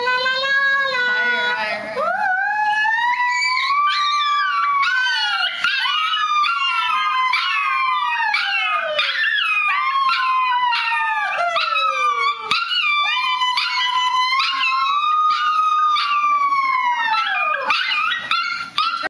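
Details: Honey the Chihuahua singing: long, wavering howls that swell and fall in pitch, each drawn out for several seconds with rich overtones. Brief breaks come between phrases, and a short human voice is heard at the start.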